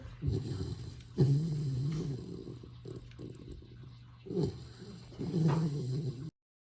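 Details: Young retriever puppy asleep, snoring: deep, rough, rumbling inhalations rising and fading in two or three long cycles, with soft breathy gaps between them.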